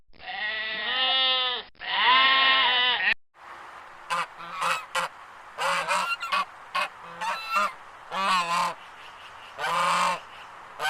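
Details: Goats bleating: two long, quavering, nasal bleats at the start, then a run of shorter, clipped bleats at irregular intervals.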